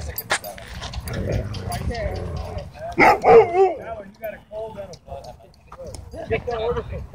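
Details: Dog park scene where play among dogs is broken up by a dogfight; a cluster of rapid, harsh barks around the middle, fainter yips after, with people talking throughout.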